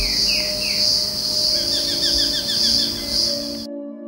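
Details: Pororó insect in Misiones near Puerto Iguazú, Argentina, on a day that began cool: a steady, high, shimmering buzz throughout, with a brief run of quick, lower chirps partway through over a faint background hum.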